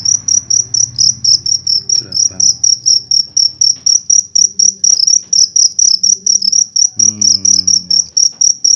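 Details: Indonesian cricket taken on a night hunt with a torch sings a sharp, high pulsed chirp repeated about three to four times a second without pause, over faint murmuring voices and one louder spoken phrase near the end.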